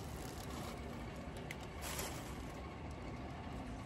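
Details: Steady broadband traffic or engine rumble, strongest in the low range, with faint scattered clicks and no clear animal voice.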